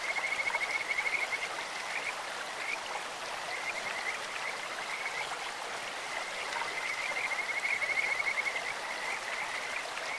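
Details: Kajika frogs calling in a clear stream: high, whistled trills in long bursts that swell and fade, separated by short gaps, over the steady hiss of rushing water.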